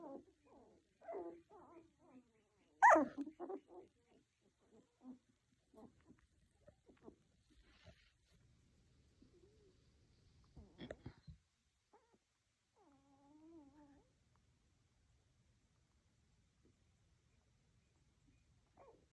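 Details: Tiny poodle puppies making scattered short squeaky yips and whimpers, one sharper bark-like yelp near the start, then a drawn-out thin whine later; quiet overall with gaps of near silence and faint low rustling.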